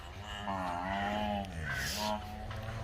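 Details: Nili-Ravi buffalo kept at a Multan semen production unit gives a long, deep, wavering moo that dips near its close, then a brief second lowing note, over steady farmyard hum.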